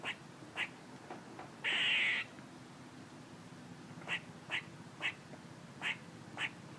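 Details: A squirrel gives one long raspy buzz early on, followed by a steady series of short, clipped chirps roughly every half second.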